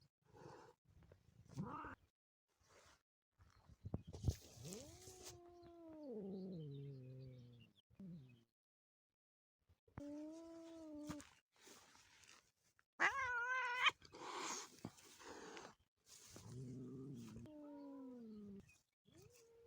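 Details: Cat calls linked to a motherless kitten: long drawn-out meows with a rich harmonic stack that rise, hold and slide downward over several seconds, repeated a few times among shorter sharp cries, with scattered clicks and rustling between them.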